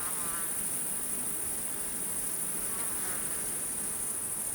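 Crickets keep up a dense, unbroken high-pitched trill, many insects shrilling together.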